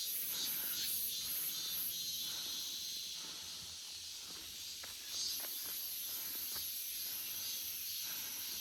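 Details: Cicadas in an August forest produce a bright, piercing continuous whine, slightly swelling and dipping, with a short louder surge just past five seconds and faint scattered ticks.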